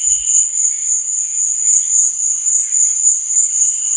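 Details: Night chorus of crickets, an unbroken shrill trill holding one high pitch, with fainter lower chirping swelling in the background and a brief dull thump at the start.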